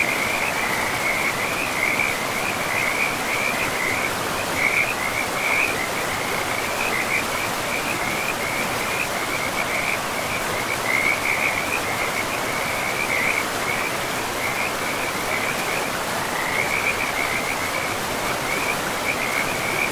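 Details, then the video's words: Frog chorus beside a river in a pristine, moss-covered forest: short high chirring bursts repeat every second or so, sometimes bunching together, riding over a loud, even rush of river water. "River and Frogs sleep sounds"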